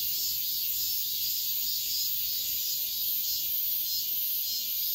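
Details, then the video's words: Steady high-pitched cicada buzz at midsummer dawn, a seamless sizzling drone with slight wavering swells and nothing else clearly heard. "새벽매미소리를 들어보자"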